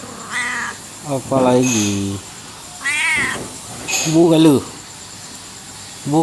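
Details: Pampered domestic cat from a coffee shop in Aceh, Indonesia, known as a talking cat, kept company through the night: a series of loud, drawn-out meows with rising and falling, speech-like inflections, several in six seconds.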